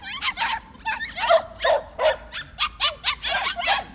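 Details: A group of white puppies kept at a plum orchard yap excitedly. Bright, high-pitched barks repeat roughly every third of a second, unevenly spaced, with several voices overlapping.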